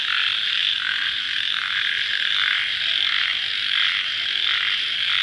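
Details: Crickets calling at night just after rain: a dense, continuous high-pitched trilling chorus that swells and fades in soft pulses about twice a second, with no other clear sounds.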